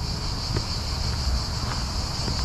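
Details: In the evening, along a walking trail to the Malpasset dam ruins near Fréjus, cicadas hold an unusually loud, unbroken high buzz over heavy wind rumble and traffic from the adjacent motorway.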